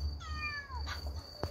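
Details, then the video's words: A kitten that lost its mother meows to people through the night: one clear falling meow with stacked harmonics, followed by a short click, over a steady high insect drone and low background hum. "밤새 사람에게 말하는 아기 고양이"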